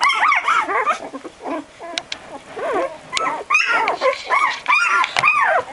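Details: Twelve-day-old Barbet puppies, almost walking, wriggle and stagger in a box searching for their mother: a busy jumble of high, wavering whimpers and squeals, arching up and down, overlapping in rapid bursts with short pauses.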